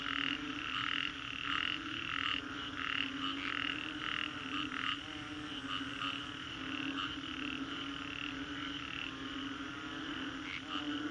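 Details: Frogs calling after a storm in Singapore's Green Corridor; rapid bursts of croaks in the first half, then a softer mixed chorus with occasional quick chirps and a low hum throughout.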